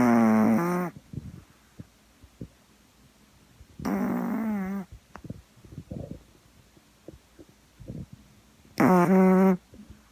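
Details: Gaeborin, a flat-faced female Boston Terrier, sleeps and snores in a small room. Three loud, nasal, honking snores sound about four seconds apart, with faint snuffling breaths between them.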